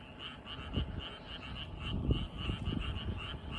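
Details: Frogs croak in a steady chorus in a flooded rice field in the evening, short pulsed notes repeating several times a second over low rumbling noise.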